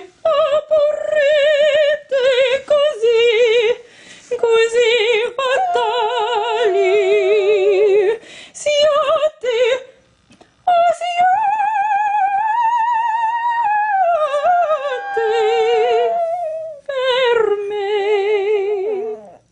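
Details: A Japanese Chin, being serenaded, howls along in long, wavering, tuneful notes that rise and fall like singing.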